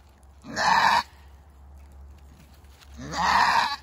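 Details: Goat giving birth for the first time lets out two harsh, raspy screams about two and a half seconds apart, each roughly half a second long, with quiet between.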